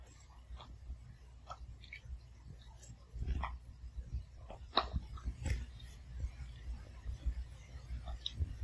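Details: Pomeranian puppy eating kibble indoors in a quiet home, crunching each piece one at a time; soft irregular crisp crunches and clicks over a low steady room hum.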